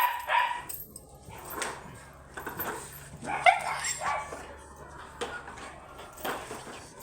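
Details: Imported Corgi dogs, Rose and Hugo, at a stud service in Inmalog, San Fabian, Pangasinan; short sharp barks and yips scattered through the clip, roughly one every second or two, over a steady low hum with some faint voices.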